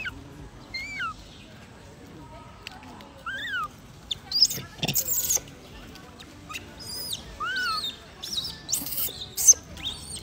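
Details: Wild macaque baby crying loudly after being bullied by its mother: thin, high tonal calls that arch and slide downward, given in scattered bursts a second or two apart, with sharp broadband crackles and rustling between them.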